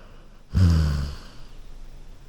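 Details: One low, throaty snore from a Golden Retriever sleeping on a couch: a sudden rumbling inhale lasting about half a second, tailing off into faint breathing in a still indoor room.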